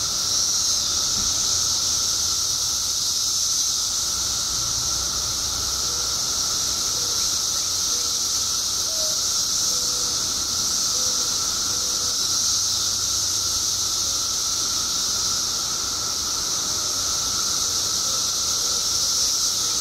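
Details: Billions of periodical cicadas, out after 17 years underground in Illinois, produce a constant piercing drone that never lets up, with a series of small faint chirps scattered through the middle.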